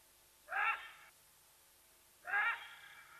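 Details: Pair of short raspy yelps about two seconds apart from a side-striped jackal at Nkorho, Sabi Sands Reserve next to Kruger National Park, South Africa, alerting to Watika the leopardess; each call harsh, harmonic and roughly half a second long.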